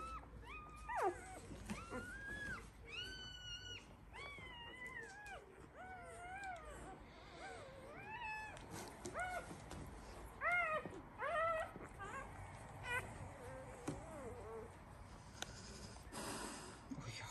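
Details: One-week-old Labrador Retriever puppies from a breeder's litter; a series of high, arching mewing whines repeated about once a second, overlapping from several pups, with steady low background hiss.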